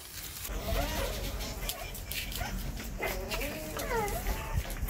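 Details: Stray mother dog with her five newborn puppies, sheltered indoors after giving birth; thin, wavering high whimpers rise and fall in short bursts, with a person's soft murmurs and shuffling noises nearby.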